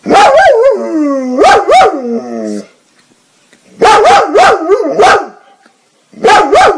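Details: Dog from a funny compilation vocalizing very loudly in wavering, sliding howls interrupted by sharp bark-like pulses, one drawn-out falling moan, then two more short howling outbursts after a pause.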